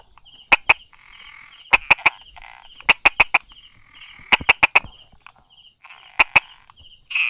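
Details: Brauer's tree frog calling from among rock cracks and grass on a July 2016 morning: crisp percussive clicks in clusters of two to four with short pauses, and a thin high buzzing trill running behind them.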